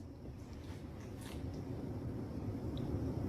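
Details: Steady low rumbling wind and engine-like noise, with no distinct calls.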